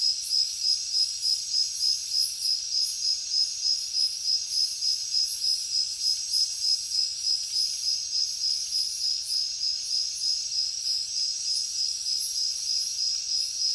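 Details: A cricket chorus with a bright, sustained high trill broken into even, rhythmic pulses about three per second, very regular from start to end, with soft hissy insect noise above.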